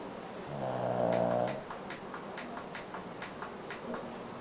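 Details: Koro, a pet Shih Tzu, snoring while asleep; one soft, drawn-out buzzing snore about a second long, followed by quiet breathing under repeated computer keyboard clicks.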